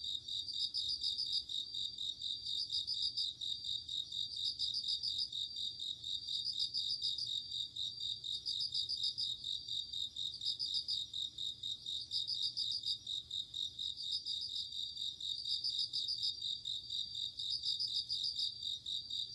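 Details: Autumn night atmosphere of singing crickets: a sustained high, tinkling trill repeated in regular bursts roughly every two seconds, layered over a constant shimmering insect chorus.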